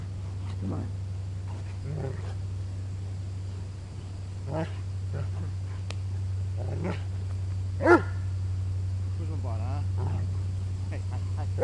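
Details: Pet dog wrestling and playing with its owner, giving a sharp harmonic bark near the eight-second mark amid scattered low grunts and a wavering whine-like note, with a man's encouraging voice and a steady low electrical hum throughout.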